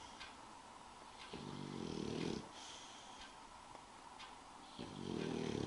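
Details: English bulldog Spike, asleep, makes a harsh, vibrating snore about a second long, then breathes quietly before starting another rattling snore.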